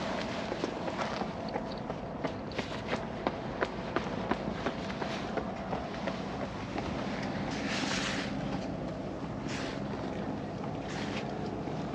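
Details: Outdoor ambience with scuffing footsteps, a steady background hum and occasional clicks, with no animal sound standing out.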